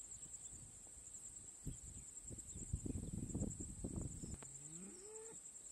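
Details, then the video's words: A lone bull stands on a hillock mooing into the wind. After gusty wind noise, one distant, drawn-out, rising bawl with a clear tonal pitch closes the recording. "Bull 🐂 Cow 🐮 bawling to the wind 🍃"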